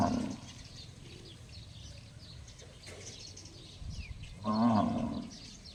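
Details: A cow gives an unusual call likened to a gong: after a short opening burst and a quiet stretch, one loud, resonant, drawn-out tonal call with rich harmonics sounds near the end, with faint background noise throughout.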